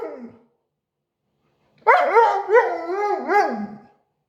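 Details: A Siberian Husky dog gives a short falling tail of sound, then a two-second howl after a pause. The howl wobbles up and down in pitch, with talking-like bends and strong harmonics.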